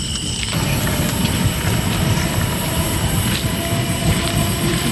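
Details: A loud train rumbles past with clattering wheels and a high squeal, and no animal voice is heard.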